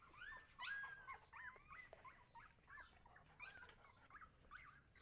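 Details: Husky puppies whimpering against a noisy, hissy background, a string of thin, wavering whines repeated roughly every half second.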